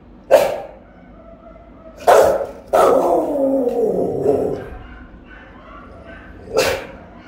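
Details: House-guarding Rottweiler left alone at home, captured on a phone set up as a watch camera: a sharp bark, then a second bark that stretches into a drawn-out, falling growling tail, then a final bark after a pause.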